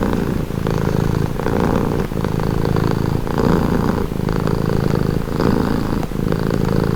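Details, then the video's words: Purring house cat, soothing and calm, its deep vibrating rumble broken into breath cycles about every one and a half seconds, steady and close throughout. "Purring cat"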